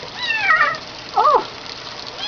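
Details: Female kitten complaining but easy to handle during a bath: one high descending meow followed by a lower, wavering yowl, with water and room noise behind.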